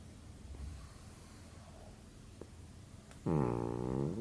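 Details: A sleeping pug, indoors: faint low rumbling, then a loud, buzzy, vibrating snore with a steady droning tone lasting about one second near the end.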